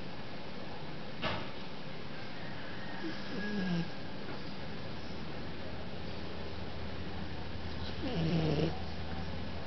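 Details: Sleeping Chinese Shar Pei snoring quietly, with a low steady drone broken by two longer raspy snores spaced several seconds apart.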